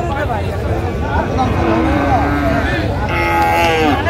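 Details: Sahiwal bull calves at a busy cattle market in Comilla, Bangladesh, on 19 April 2025: drawn-out lowing moos with wavering tones rise over steady crowd chatter and murmuring voices.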